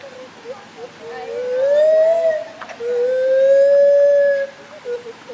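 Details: Gibbons, agile climbers swinging from branch to branch, give two long, clear tonal hoots, each slowly rising then levelling off, separated by a brief pause and framed by short soft notes before and after.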